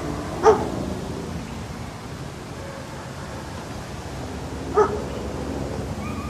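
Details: Dog giving two isolated barks about four seconds apart, each brief and punchy, with a constant low rumble of background noise in between.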